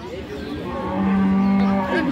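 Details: Friesian cow offered with her calf at Ambari livestock market, Dinajpur, 7 November: a single loud, steady, low moo swelling midway and holding for about a second, with a busy market murmur behind it.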